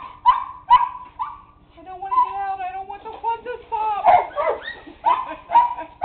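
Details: A dog making a series of high, tonal whining and yelping sounds around mid pitch, some sliding and wavering, with short sharp bursts repeated through the clip and a steady low hum underneath.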